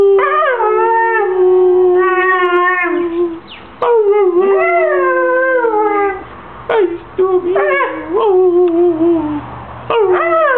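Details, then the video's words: Husky giving talkative howls: several bending, speech-like phrases of a few seconds each, rising then falling, with brief yelps between, clean indoor quiet around them. "Stormy the talking husky"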